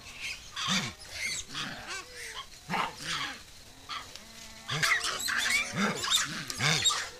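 A pig-tailed macaque gives short, arched, harsh calls in quick irregular bursts.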